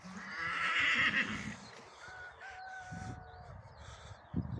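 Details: At a stallion's mating with a Gypsy mare, a horse gives a strong high squeal in the first two seconds, then thinner drawn-out tonal notes fade, with thumps and scuffling nearby.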